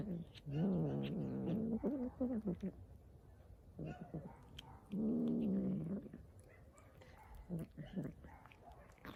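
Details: Street cat eating hungrily and making funny noises at once: two low, buzzy growling moans with a wavering pitch, broken by wet chewing clicks and crunching between them.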